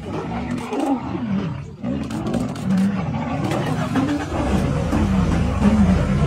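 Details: Sub-adult male lions of the Vurhami Pride chasing a large intruder lion: continuous deep rumbling growls and snarls overlapping one another, rough and throaty, with engine noise in the background.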